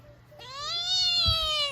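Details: A talkative black domestic kitten at home in November meows in reply when family members talk to her. A long, clear, tonal meow rises slightly, then slowly falls, with soft household thumps beneath and a brief human murmur before it.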